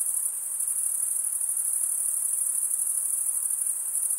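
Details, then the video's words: Crickets, males stridulating by rubbing wing edges together, give an unbroken, very high-pitched shrill trill that holds steady in pitch and loudness throughout, with a faint soft hiss beneath and no other sounds. "Most relaxing cricket sound for 8 hours"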